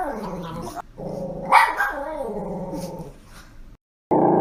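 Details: Pet dog producing a drawn-out, rumbling growl-moan that wavers in pitch, with a brief higher yelp in the middle, then a short loud noise after a moment of silence.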